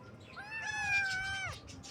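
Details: Baby kitten in the morning giving one drawn-out, high-pitched meow of about a second, harmonically rich, rising at the start, held level, then sliding down at the end; faint chirping in the background.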